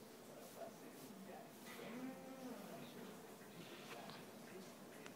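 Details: Theodoro, a very hungry Whippet, 'talks' while asking for food: a soft, low, drawn-out moaning whine near the middle, preceded by shorter grumbles, over household rustling and faint background noise.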